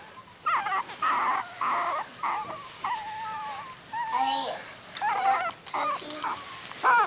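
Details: A litter of three-week-old puppies with newly opened eyes whines in drawn-out squealing cries, some long and level, others bending down, with short gaps between them, in a quiet room.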